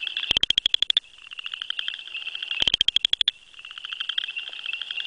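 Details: A male Southern chorus frog (Pseudacris nigrita), calling from grasses with vocal sac pulsing, gives short, rapid, ratcheting trills of high clicks about two seconds apart; a nearby frog may be an attracted female or satellite male.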